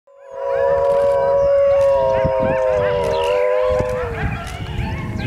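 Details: A gray wolf (Canis lupus) at Wold Park gives a long, steady, low howl that drops at the end, with other wolves and coyotes yipping and howling in the background.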